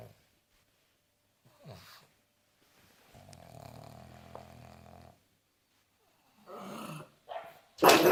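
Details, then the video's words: Pug named Derp, a pet dog having a hard time, giving a low harmonic grunting groan lasting about two seconds, with scattered short snorts before it and a sharp noise at the end. "Pugs life, funny sounds compilation"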